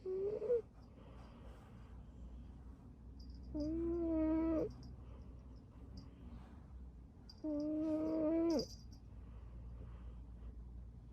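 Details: Curled-up sleeping cat String Cheese snoring in a small room: a short whistle opens, then two sustained tonal snores roughly four seconds apart, with faint high ticks and low hum in the background.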